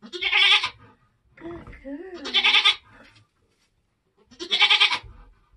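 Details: Nigerian Dwarf goats being born on a homestead during kidding season: three loud, harsh, harmonic bleats about two seconds apart, with a softer wavering voice between the first two.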